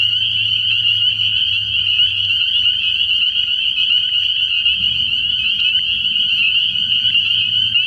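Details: Spring peepers calling at night from a frog pond early in the year: a dense, unbroken chorus of shrill high peeps forming a steady ringing wall of sound, with a faint low hum underneath.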